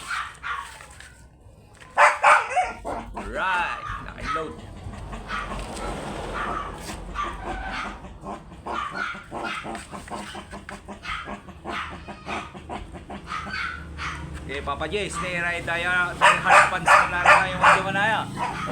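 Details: Dark chocolate Shih Tzu male offered for stud service in Lanas, Mangaldan, Pangasinan: sharp yapping barks in scattered bursts, then a quicker run of high yips near the end, with people talking throughout.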